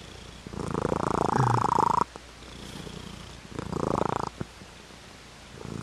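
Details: Purring house cat, its rumble coming in two buzzing, rapidly pulsed bursts about a second and a half long, the first louder, with near-quiet gaps before and between them.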